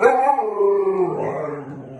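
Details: Siberian Husky talking back indoors: a continuous two-second yowling howl, wobbling up and down before trailing off lower, full and harmonic like a drawn-out talking moan.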